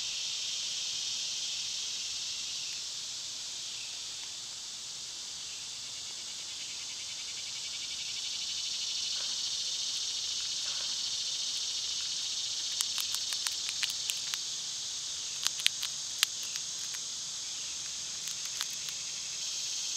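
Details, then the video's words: Cicadas in summer sustain a loud, high, even buzz that swells gently midway; from about thirteen seconds, bursts of sharp rapid clicks and ticks cut across the drone. "Cicada sounds"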